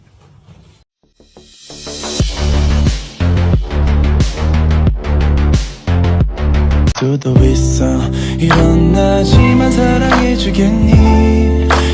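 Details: Loud pop music with a heavy beat about four times a second, building after a quiet opening.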